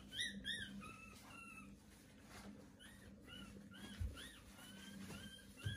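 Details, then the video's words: Newborn Pomeranian puppies at day 18, giving repeated high squeaky whines that rise and fall in short arched notes, several per second, against a low steady hum. "Pomeranian puppies are born"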